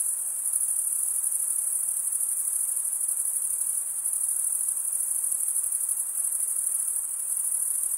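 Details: Cricket chirping, the stridulation of males drawing one wing over a toothed vein beneath the other, makes a steady high shimmering trill without gaps; a few faint low thumps sit far underneath.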